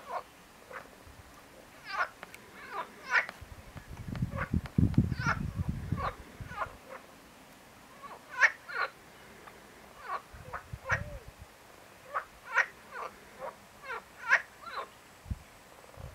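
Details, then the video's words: A marsh frog (Pelophylax ridibundus) gives short, harsh croaks in loose bursts, with low wind rumble at times. "Marsh frog - Pelophylax ridibundus - ჭაობის ბაყაყი (ტბორის ბაყაყი)"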